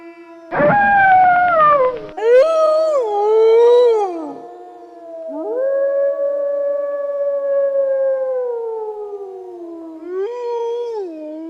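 A wolf howls in long, smooth, sustained tones that rise, waver and slowly fall.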